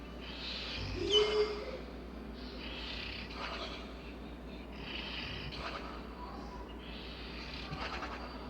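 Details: Labrador Retriever Bella snoring in her sleep; a short low grunt opens, followed by a run of breathy, wheezing rasps recurring every couple of seconds.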